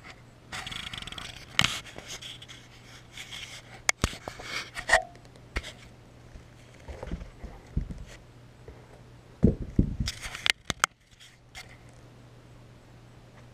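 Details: Beagle dog lying among towels indoors, breathing in bursts of rough, breathy panting with irregular pauses, plus rustling and short thumps in a small room.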